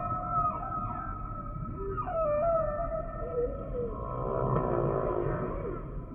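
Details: Humpback whale song, with descending tonal swoops, a short falling whistle, then a rough buzzing pulsed moan that builds and fades, over continuous low background noise.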